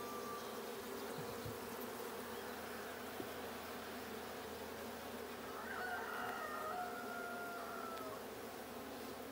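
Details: Continuous bee buzz from a blue honey bee hive during a 6/20/22 hive check, the drone steady while a drawn-out crowing call, likely a rooster, sounds from about six to eight seconds.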